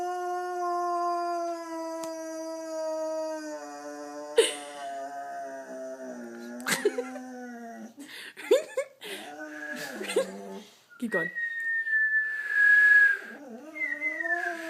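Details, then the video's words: Boxer dog howling, a bout that ends in a sneeze: a sustained, steady tone breaking into wavering, sliding yowls with sharp clicks and snorts, while a person whistles high sustained notes alongside. "Boxer howling and sneeze"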